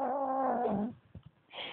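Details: Bengal cat Kimiko, mad about a new cat brought home, holds a low steady wailing growl that fades out, followed by faint rustling and a brief higher noise.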